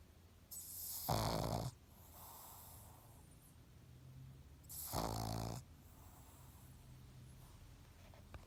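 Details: Sleeping pug YoYo gives humanlike snores: two long, raspy, rattling inhalations about four seconds apart, each lasting under a second, with quiet wheezy breathing in the pauses.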